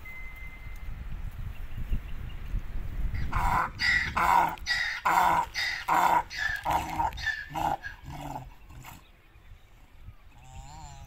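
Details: Donkey eating something in a desert jungle gives a harsh, rasping bray: about ten loud, rhythmic harmonic bursts packed into six seconds, preceded by a quiet stretch with a thin steady tone and trailing off into faint background noise.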